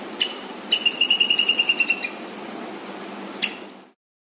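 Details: Squirrel making loud chirping noises: a rapid series of about ten sharp, high chirps in quick succession, flanked by single clicks, over a steady low background hum.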